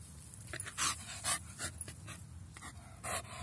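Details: Staffordshire Bull Terrier crossed with Whippet panting while fetching a stick: rapid breathy puffs, roughly three per second, with soft background rumble outdoors.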